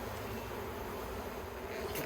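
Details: Honey bees at the Yellow Hive, an Australian beehive fitted with plastic frames, recorded 9 October 2021 during beekeeping work; a steady, dense low hum of many bees runs unbroken throughout, with a faint brief rustle near the end.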